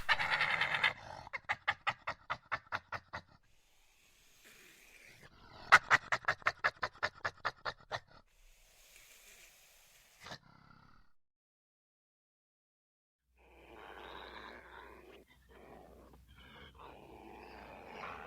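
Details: Badger growling aggressively in rapid rattling pulse trains, two bursts each lasting a couple of seconds, then a single thump, near silence, and a soft scuffling rustle at the end.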